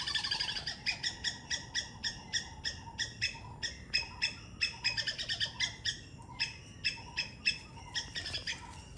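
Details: Sri Lanka three-striped palm squirrel chipping rapidly, harsh high notes in quick clusters, with a busier, noisier background including other faint high sounds.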